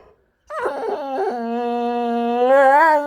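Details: Boxer dog in the middle of a loud tantrum at home: after a short silence, a sustained wavering howl-whine, rich and nasal, holding a steady pitch and then rising and swelling in loudness near the end, with no other sounds.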